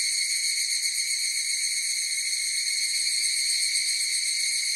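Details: Higurashi cicadas in chorus, a dense, unbroken high tonal drone with stacked harmonic bands, holding an even level with no pauses or other sounds.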